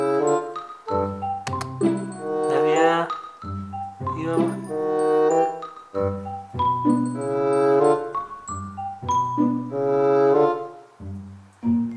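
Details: Mallet-percussion background music plays throughout with a voice speaking over it, and no animal sound stands out.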